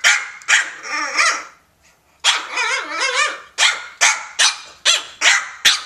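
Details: French Bulldog Elmer playing with a cat, mixing a drawn-out, wavering growl-whine with a string of about six sharp, raspy barks at a brisk, fairly steady pace.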